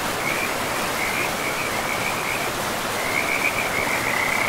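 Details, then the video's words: Frogs in a pristine forest beside a river, calling in a steady, slightly wavering high trill that runs almost without pause, over a constant rush of flowing water. "River and Frogs sleep sounds"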